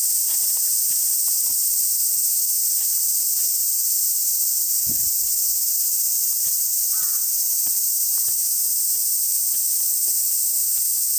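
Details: Cicadas in summer at Oike Park, Tokai City, under strong sunlight: a steady, unbroken high-pitched hissing drone fills the clip, with faint scattered ticks and one brief distant bird call partway through.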